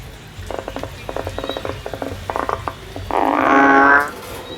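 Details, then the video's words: A male frog in the field gives a run of quick, clicking pulses in short bursts, then a single longer, harsh, buzzy note that swells and stops abruptly. "The song of a male frog in the field and the comparison of a small male frog and a large male frog"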